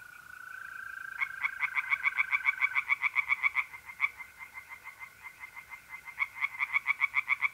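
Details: Mid-April night at a pond in North-East Italy: tree frogs give quick runs of sharp pulsed croaks, pausing and restarting, while mole crickets keep up a continuous even trill beneath.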